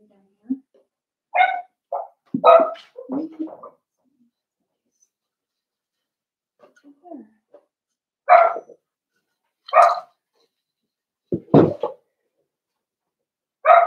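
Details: Litter of five Blenheim Cavalier King Charles Spaniel puppies in an indoor puppy pen; sharp, high yapping barks in short bursts, separated by pauses of about a second or more, with faint whimpering between.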